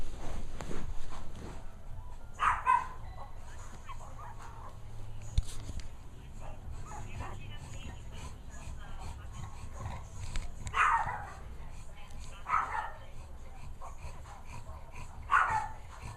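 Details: Two-week-old puppy Manny lets out several brief, high whining yelps spaced a few seconds apart, while people talk nearby throughout.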